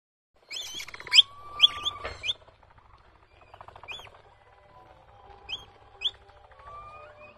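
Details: Baby capybara giving high, thin squeaks and chirps, several rapid bright notes early, then scattered upward-hooked squeaks, with a faint low hum underneath.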